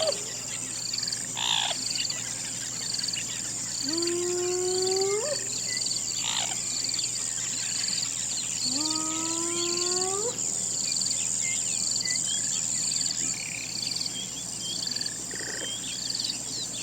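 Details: Two drawn-out rising hyena howls, each sweeping upward for about a second and a half with stacked overtones, about five seconds apart, over a constant shrill insect drone and occasional bird notes.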